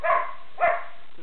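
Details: Skippy, a Border Collie from Manchester, UK, barks on command while counting from one to four: two short, clear, tonal barks about half a second apart, with a faint third sound at the very end, indoors.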